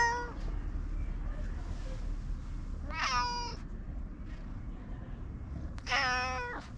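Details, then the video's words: Domestic cat meowing twice, short harmonic meows near three and six seconds, each rising then falling, over a low steady background hum. "猫ちゃんの鳴き声特集 その２（黒猫ちゃん、アイドル猫ちゃん、茶トラ猫ちゃん） 【Cat barks special feature ２】"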